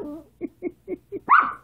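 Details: Maltese dog Sasha making funny sounds: four short, soft grunting yips spaced evenly, then one louder, higher whine that rises, wavers and trails off at the end.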